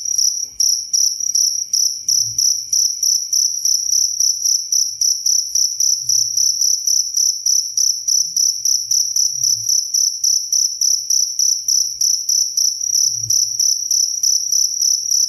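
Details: Cricket song, clear and close, offered for sleep and as a model for songbirds; shrill high pulses repeated quickly and evenly, over three per second, with faint low bumps now and then.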